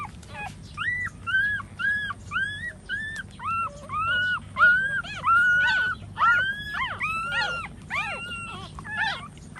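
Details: Puppies nursing from a standing mother dog, giving a rapid series of high, arched whimpering squeals, about one and a half per second, overlapping and varying in pitch.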